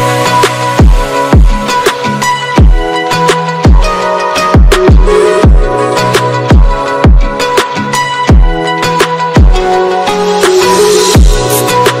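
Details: Electronic music with a steady pounding bass beat, sustained low tones and higher melodic notes throughout, with no animal sound heard.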